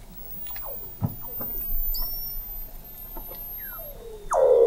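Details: Weddell seals calling beneath Antarctic sea ice at McMurdo Sound, recorded November 2017 from 21 m below the ice: quick descending chirps and knocks, a brief high whistle, then a loud low buzzing call rising at the end.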